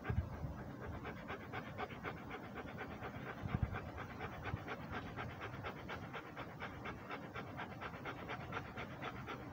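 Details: Rhodesian Ridgeback panting while walking: fast, steady breaths of about four per second, soft and breathy, continuing evenly through the whole stretch over a low rumbling background.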